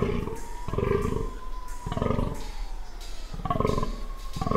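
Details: A spotted fallow buck (Dama dama) at Onga Onga groans in the 2017 rut: a deep, rough, belching rutting call repeated in quick bursts during the breeding season.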